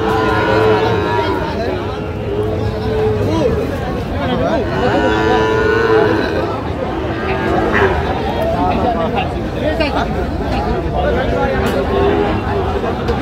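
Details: Sahiwal bull calves at a cattle market, with a buyer from Narayanganj, Bangladesh, on 12 July 2025; low drawn-out lowing rises and falls under constant loud human chatter and bargaining voices of a crowded market.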